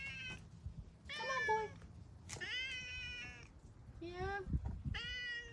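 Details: Male tabby cat meowing while being led to wet food: a series of drawn-out, harmonic meows, some rising then falling, spaced about a second apart, with a man talking to him softly in the background.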